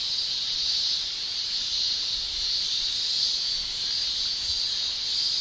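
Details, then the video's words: Summer cicada chorus in Japan, produced by the tymbals of males: a dense, piercing, continuous whine at high pitch with gentle rises and falls in volume and no pauses. "Japan Summer Cicada Shrilling Relaxing Sound"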